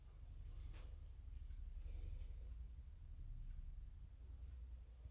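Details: A Labrador Retriever snores in deep, rumbling breaths, broken by two brief, harsh snorting hisses over a steady low hum.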